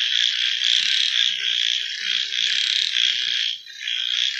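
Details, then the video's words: Frogs at night in a thick, high, rasping chorus of overlapping trills that throbs steadily, with a brief lull before the calling swells again. "Copyright Free Frog Night Sounds"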